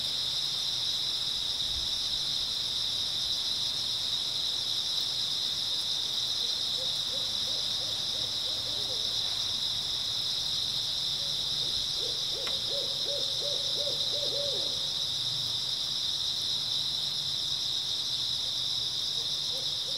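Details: Grass insects chirping through an early autumn night in a constant high, even buzzing drone. Brief bursts of low, quavering, pulsed hooting rise and fade in the background midway.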